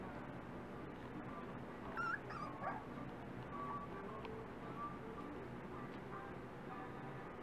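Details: Dachshund puppies almost five weeks old, from litters named Priscilla and Lilee. Brief high yips and whimpers break out near two seconds, then softer thin whines drift over a steady background hum.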